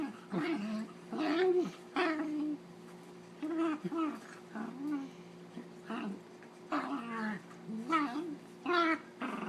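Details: Dog play-fighting with another dog, giving funny noises: irregular strings of rough, yodelling growls and grumbles, several bursts close together, then pauses, the voice bending up and down within each burst.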